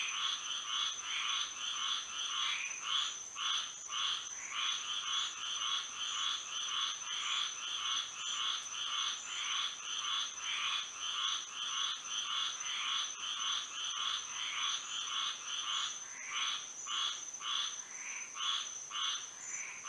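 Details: A night in Florida, frogs singing under the moon: a sustained chorus of rapid, pulsing croaks near two per second that grows denser and choppier toward the end, over a persistent high-pitched hum.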